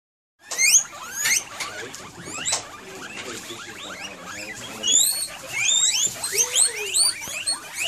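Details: Excited guinea pigs that seem to expect dinner: a dense chorus of sharp, rising squeals. The squeals overlap and are repeated rapidly, with a few longer whistled sweeps near the end.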